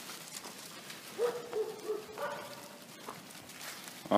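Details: Dogs setting off to run in a private dog park at a dog resort; a drawn-out, wavering whine-like tone holds steady, then steps slightly higher, amid outdoor rustling and a voice urging them on.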